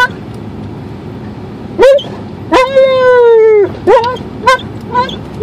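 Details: Alaskan Malamute on a car drive to the dog park, letting out short yelps and a longer drawn-out wavering whine, falling slightly at the end, with pauses between calls.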